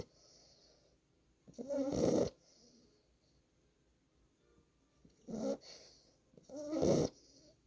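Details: A 9-week-old Boxer puppy snoring while asleep on a lap indoors: three loud, raspy snores at roughly 2, 5.5 and 7 seconds, separated by quiet breathing.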